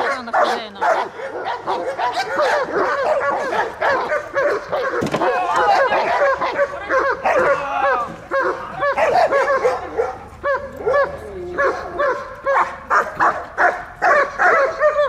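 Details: Working German Shepherd at a guard and protection training session, Dyukovsky Park, Odesa, 9 July 2022; sustained volleys of loud, rough barks at a fast, irregular pace, with a faint voice in places.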